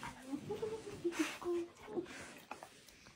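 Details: Happy female German Shepherd puppy giving short high whines and squeaky yelps in a small room, brief bursts around two seconds in, with rustling noise between.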